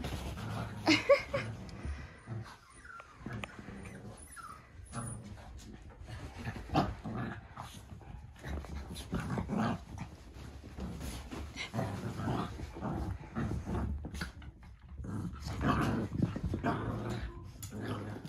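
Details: Fourteen Cavalier King Charles Spaniel puppies racing around a living room with the zoomies after being brought onto a giant dog bed; soft scuffling growls, faint yips and thumps of tumbling bodies come in irregular bursts with quiet gaps.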